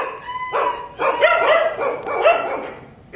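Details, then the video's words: A 15-day-old Kanni dog puppy in Coimbatore gives a run of high, squeaky yelps and whines, about three bursts in quick succession, with a faint steady tone in the background. "கன்னி நாய் குட்டி"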